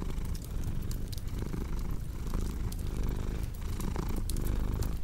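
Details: Purring domestic cat, low-pitched and continuous with gentle breathing-paced pulses, accompanied by frequent sharp crackles from a fireplace.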